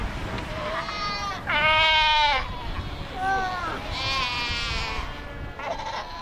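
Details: Fur seals massed on the Skeleton Coast at Cape Cross, more than 100,000 strong: long harmonic bleats with a nasal, sheep-like quality, one loud call near two seconds, others overlapping at varying distances.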